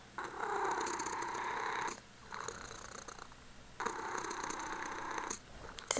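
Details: Punkin, a Ragdoll kitten loving on her owner, purrs in three long raspy stretches split by softer breaths. Each phase lasts about one and a half seconds, with a faint scrape at the end.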